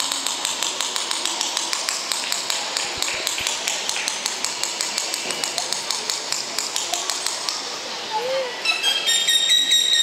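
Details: Captive orcas at a marine park show pool in Puerto de la Cruz, Tenerife, produce communication sounds: rapid trains of sharp clicks, ending in high whistles and a brief bending tone, under a narrator's voice.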